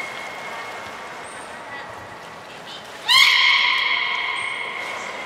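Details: During beluga training with Gray, Mirai and Nico at Port of Nagoya Public Aquarium on 16 December 2018, a faint steady tone is followed by one abrupt, loud, buzzy harmonic call that holds and fades; brief high whistles sound nearby.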